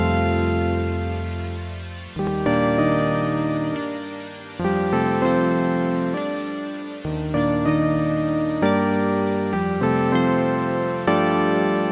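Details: Soft piano-led background music with sustained chords and gentle repeated notes, and no animal sound.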